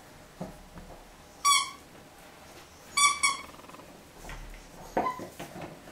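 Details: A 9-week-old male Jack Russell Terrier puppy playing with a ball and squeaky toy gives short, high, squeaky yelps in a quiet room.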